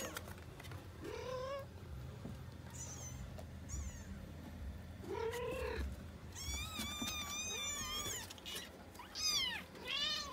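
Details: Several small kittens among five given a new box, crying in thin high mews that rise and bend down, some overlapping in quick bursts toward the end, over a low steady background hum.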